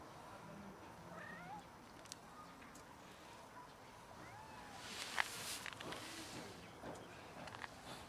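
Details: A family of cats trying to mate with one another and then eating; faint, short meows with curved, wavering tones early on, then a brief burst of broadband rustling noise midway, over steady low background hiss.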